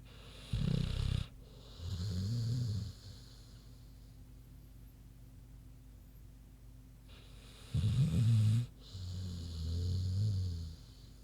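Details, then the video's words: Big pig Queenie sleeping soundly, snoring in paired cycles: a rough low snort-like inhale then a longer rumbling exhale, the pair repeated after a quiet pause of several seconds. "Big Pig Snoozin' (HD Queenie Snoring Audio)"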